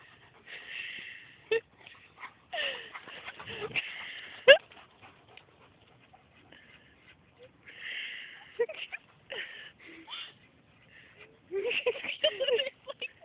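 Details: Two German Shepherds and a French Mastiff racing, recorded on an Android phone: repeated high, nasal whines and yelps in bursts, several short sharp yips, with quiet gaps between.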